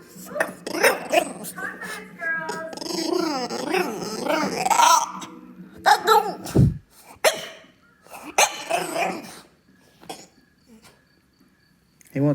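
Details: A French Bulldog, begging for McDonald's food after once stealing a fry, gives strange alien-like warbling whines and howl-like yowls that rise and fall.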